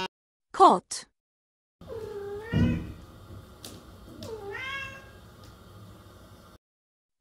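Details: Domestic cat among farm animal sounds for children, two drawn-out meows with a sliding, rising-then-falling tone, preceded by a brief sharp sound and a low thump under the first meow.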